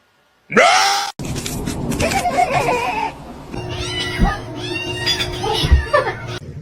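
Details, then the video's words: Male domestic cat giving one short, loud, arching meow, followed by a woman speaking over background noise. "His meow is so cute."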